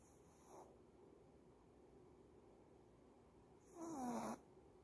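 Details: Sleeping, seemingly tired female dog: a faint brief snore followed three seconds later by one louder raspy snore carrying a descending whistled tone, in a quiet room.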